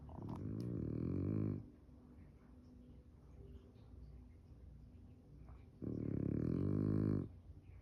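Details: French Bulldog asleep on a couch with its face buried in the cushions, giving two long, deep, rasping snores about four seconds apart, with soft breathing between them in a small indoor room.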